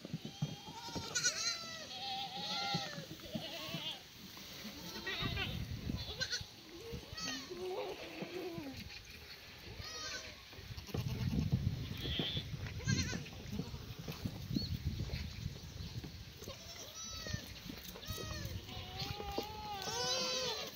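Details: A herd of black goats bleating during morning feeding of cut strawberry-plant stems and leaves, still damp from rain, at a hillside farm in Gimhae, South Korea; many overlapping nasal bleats with human talk and rustling throughout.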